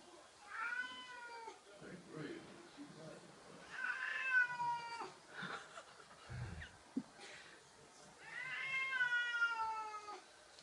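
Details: Indoor house cat facing a balloon shaped like a cat, uttering three drawn-out descending meows roughly four seconds apart, with a man talking softly and small handling noises between calls.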